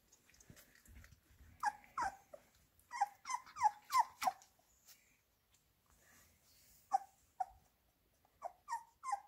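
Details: Minced beef for Labrador Retriever puppies, with scattered high whines dropping in pitch: a quick cluster of squeaks in the middle, then a few isolated yelps after quiet pauses.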